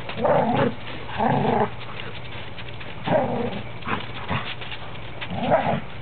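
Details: Standard poodles at play, three together including a cream one said to sound like a grizzly; long harsh growls, each about half a second, come in four main bursts with quieter grumbles between, low hum underneath.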